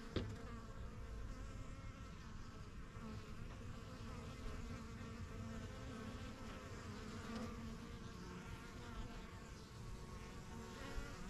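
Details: Honey bees of a strong yellow backyard hive, begun by new beekeepers in spring 2023, flying in and out as they settle into their surroundings; a dense, steady hum of many overlapping buzzing wingbeats with shifting harmonic bands, continuous throughout.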